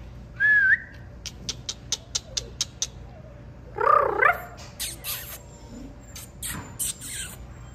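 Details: Golden Retriever puppy making two thin, high whining cries, the second wavering up and down, separated by a run of evenly spaced light clicks, with faint rustling noises afterward.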